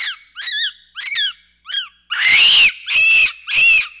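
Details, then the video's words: Capuchin monkey calls: four thin, bent chirps, then three long, piercing, rough squeals that rise and fall, separated by short pauses. "1 Hour of Monkey Noises | Monkey Sounds | Capuchin Sound"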